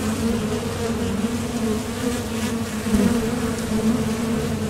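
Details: Western honeybees at the entrance of a top bar hive, leaving and landing while foraging for nectar, make a steady, low, droning hum of thoracic muscle vibration from many wings beating together.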